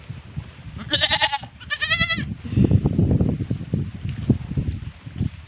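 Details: Goat (Capra hircus), bleat.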